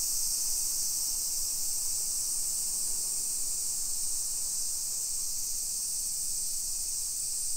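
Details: Cicadas in summer along suburban streets of Nisshin near Nagoya, Japan, early afternoon, 28 July 2021; a continuous shrill buzzing wall of sound held at an even level, over a soft low rumble of town background.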